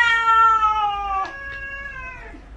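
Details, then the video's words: Single long meow from a domestic cat, strong at first and gliding steadily downward in pitch as it fades out over about two seconds. "These cats can speak English"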